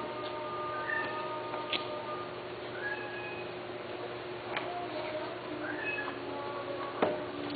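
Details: Persian cats offered for mating give several thin, rising meows and short mews, spread across the recording, over a steady droning hum and background chatter, with a sharp knock near the end.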